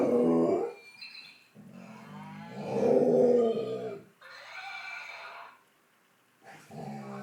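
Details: A young fox red Labrador Retriever named Dexter, ten months old, howls in answer to a toy that plays animal sounds. Long, wavering, harmonic howls rise and swell in volume, broken by pauses and brief bright toy noises.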